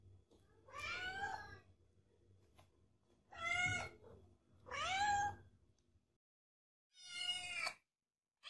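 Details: Meowing cat from a compilation of cats and kittens: four bright, harmonic meows, each arching up and down, spaced irregularly over a soft low rumble.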